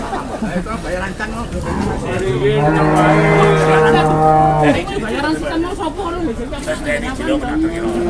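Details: Cattle at a sale in Indonesia, with tough bargaining and many onlookers: a single long, low, steady moo rises out of the crowd noise and holds for about two and a half seconds before stopping abruptly, with people talking throughout.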